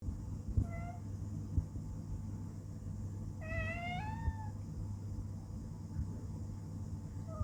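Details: Pet male cat meowing indoors, asking to be held so he can watch outside the window; a faint short meow, then a clear drawn-out rising-falling meow, over a steady low hum.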